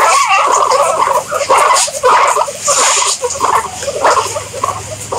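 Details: Guinea pigs give rapid, piercing squeaks, each note short and tonal, tumbling over one another roughly twice a second with slight dips between bursts.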